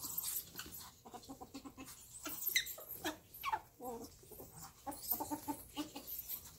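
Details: Two domestic ferrets playing, giving squeaks and whines; short nasal, buzzy whining notes repeat in uneven bursts mixed with rapid scratchy clicks and shuffling.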